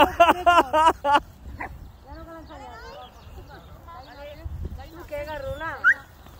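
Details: Jack Russell Terrier playing with Quimera, Bora and Musu on 21 April 2021; a quick burst of four high, sharp yaps in the first second, then whiny wavering sounds mixed with people talking and cheering.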